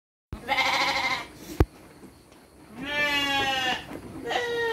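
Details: Domestic sheep bleating while being given dry feed by children, with loud wavering nasal bleats, one at the start and a longer one later, separated by a sharp knock and a quieter pause.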